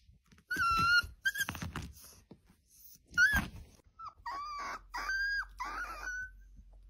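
A Siberian Husky 'talks' in a run of whiny, yodeling yowls that rise and bend in pitch.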